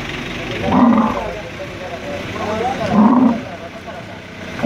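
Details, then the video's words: Angry male dromedary camel being moved by crane at the camel market in Al Ain, UAE, on 21 March 2017: deep, harmonic roaring groans in three bursts about two seconds apart, with people talking in the background. "Moving an angry male camel with crane"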